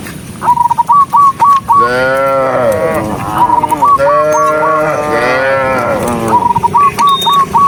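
Two long, rich cow moos that rise and fall, separated by bursts of quick, hooked whistled notes.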